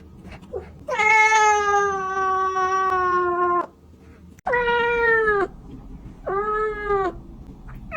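A kitten gives three clear, tonal meows, the first long and drawn out, the others shorter.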